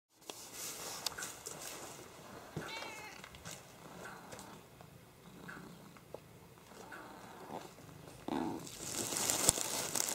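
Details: Minnie, a once-feral barn cat, rests on a hay bale by the window of a quiet big barn in the afternoon sun; a single short, rising-falling meow comes early, then soft rustles, faint clicks and a hiss of background noise.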